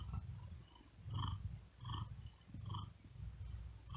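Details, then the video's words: Tired cat sleeping on a wooden desk on a very hot day, breathing quickly with effort: low rumbling purr pulsing in bursts about every three-quarters of a second, with soft breathy hiss above each pulse. "Asmr Cat Purring And Whispering Sound"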